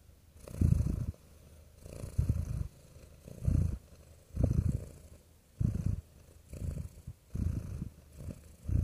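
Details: Soothing purr from a real cat, low rough rumbles repeated in a steady rhythm, about seven or eight bursts, each under a second, separated by short hushed pauses.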